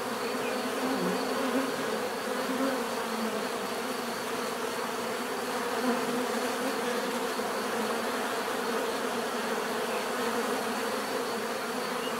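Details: Continuous swarm hum of bees, a thick even drone layered with scattered brief louder buzzes from individual insects passing near, steady in volume for the whole stretch.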